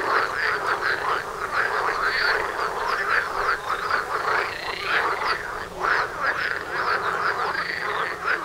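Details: Frogs calling together near a front door during courtship, many overlapping croaks and rattles pulsing in quick bursts, some rising notes, loudness swelling and dipping every second or so.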